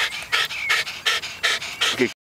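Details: Dog panting at Te Puru: quick, breathy huffs, about five in two seconds, close to the microphone, ending abruptly.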